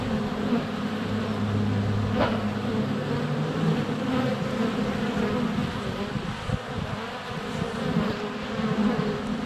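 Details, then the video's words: Sunny February day at a beehive entrance: dense honey bee flight hum captured by a GoPro Hero 7 Black less than a foot from the hive, steady low buzzing with a passing bee's rising drone. "4K Honey Bees - ambient video and audio"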